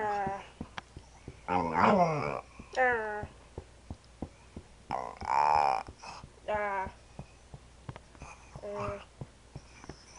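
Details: Female Staffordshire Bull Terrier indoors making odd noises while playing: drawn-out, wavering, harmonic whine-growls and yowls in bursts of about a second, several spaced through the clip with short clicks between, in a small room.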